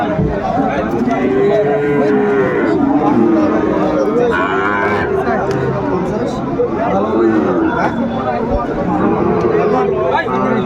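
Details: Young Sahiwal bull calves of six to eight months crowd Ambari cattle market on 4/4/25, with repeated bellowing moos rising and falling over one another beneath constant human talk and haggling.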